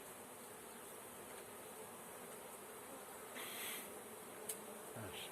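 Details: Honey bees buzzing while a beekeeper catches a swarm, a steady low droning hum of many bees with brief rustling and handling noises near the end.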